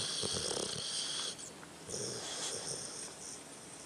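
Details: Sleeping dog named Tucker making amusing snoring noises, a long airy hiss with a soft rattling undertone, breaking off briefly and then resuming as another raspy breath.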